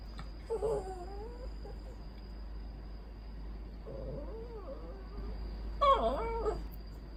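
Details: A rescued poodle makes odd, demanding grumbles for affection: a wobbling nasal whine, a lower drawn-out moaning grumble midway, then a louder twisting whine near the end, over quiet room tone with a faint steady hum.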